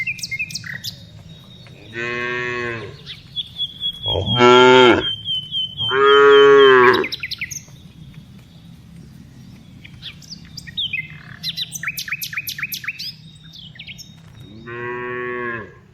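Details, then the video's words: Tame cows being herded in the afternoon give four long, deep, harmonic moos, two drawn out and loud in the middle, one last moo near the end; high chirping birds twitter between the calls. "Cows Sounds"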